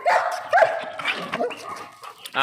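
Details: Alsatian dog with a fierce attitude lets out two quick, strong barks, followed by softer, rougher vocal noises and what may be a human voice in the background.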